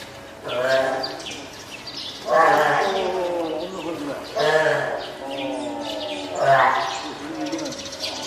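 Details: Spotted seal pup, a female born 19 April to Komachi and Goku, hand-reared at Oga Aquarium, Japan, 9 May 2017, calling loudly as if hungry or seeking to climb onto land: four drawn-out, quavering, goat-like bleats with rich harmonics.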